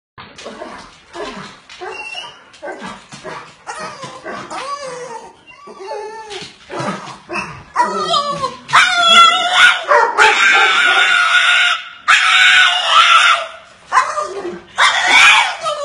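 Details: Bulldog making an odd noise after missing out on a walk: a string of short, wavering, whiny yelps and moans, rising into louder, strained, screechy howling toward the end.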